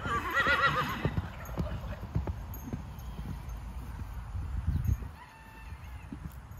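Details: Nine-year-old Hanoverian warmblood horse, 16.2 hands tall, gives a brief quavering whinny during the first second, followed by irregular hoof clip-clops and low rumbling background noise.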